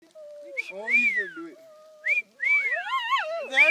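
Two Shih Tzus howl together in high, wavering tones that rise and fall, their voices overlapping in bursts with short pauses between.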